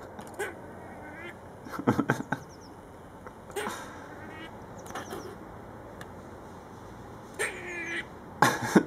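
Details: Friendly, curious grey squirrel at the back of a house, making weird noises close to the camera: harsh, nasal, duck-like bursts in short irregular clusters several seconds apart, with a man's voice talking in between.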